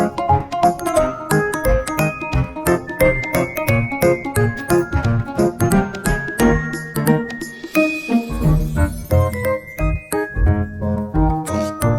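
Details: Bright jingling music with bell-like tones and a steady, bouncy rhythm fills the whole stretch, with no animal sound heard.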